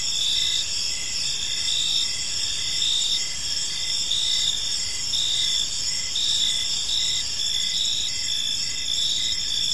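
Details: Crickets chirping on an evening in a peaceful park, a dense chorus of high, steady trills layered with pulsed chirps repeating about every half second, no other clear sounds.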